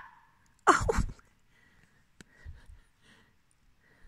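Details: At night in October 2020, a fox that wants to play with a cat gives one harsh, breathy bark that drops quickly in pitch, then falls quiet.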